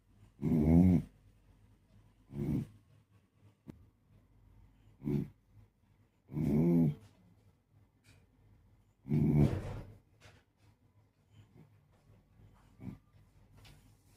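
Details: A sleeping Beagle snoring indoors: loud, rumbling, buzzy snores in irregular bursts about every two to three seconds, six strong ones with fainter breaths between, in an otherwise quiet room.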